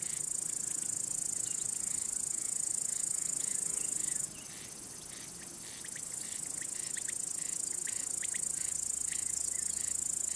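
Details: Male crickets stridulate by rubbing their elytra to attract or court females or scare off rivals: a dense, high, continuous shrill trill that cuts out abruptly near four seconds, then resumes more faintly and builds again.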